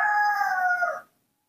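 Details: Mobi, a spoiled baby monkey kept at home, gives a loud, drawn-out tonal cry lasting about a second. The steady, clear wail sags slightly in pitch before cutting off abruptly into quiet.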